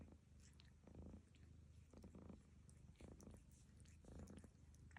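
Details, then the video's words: Domestic cat snoring while another cat grooms it indoors; soft low rumbling breaths pulse steadily, with brief wet licking bursts roughly once a second from the grooming cat. "Lucy schnarcht dabei!"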